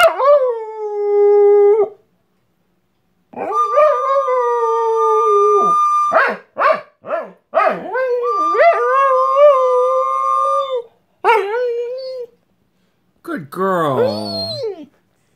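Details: Four-year-old Borador Leeloo howling along as a recorder plays. Long drawn howls rise and fall in pitch, broken by short yelping breaks, with a final wavering cry climbing and dropping.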